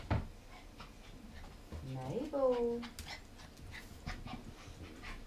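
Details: Border Terrier puppy Mabel, 14 weeks old, excited after getting into a bag of toffee popcorn under the bed. A single rising, then sliding whine lasts under a second, with quiet panting and a person talking nearby.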